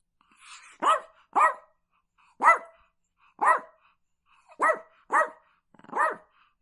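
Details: Dog barking: seven sharp, harmonic barks within about seven seconds, given singly and in quick pairs at irregular spacing, preceded by a faint, softer vocal sound at the start; no other clear sounds.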